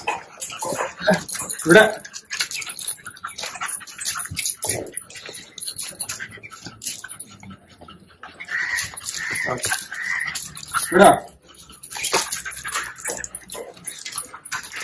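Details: Ear-cropped puppy whining while its stitches are taken out and the ears cleaned at home. A run of short, steady whimpers comes in the second half, mixed with a person talking, handling noise and background music.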